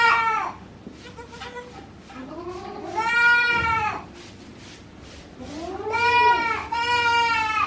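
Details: On a goat farm in Himi, Japan, on 9 March 2019, a young mixed-breed mother goat keeps watch over her newborn kid. Drawn-out, quavering bleats come in three bouts spaced a few seconds apart, with quiet room noise between them.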